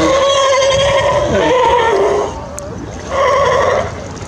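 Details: California sea lions at Monterey Bay, California, one long wavering bleat-like call falling in pitch, a short pause, then another honking call, with splashing water behind.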